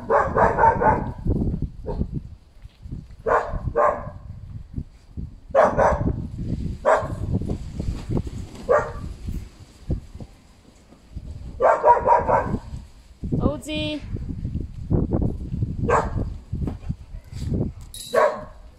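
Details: Canaan Dogs barking: short sharp barks come in scattered bursts, some doubled, with a thin rising yelp near the middle. Wind and handling rumble run underneath throughout.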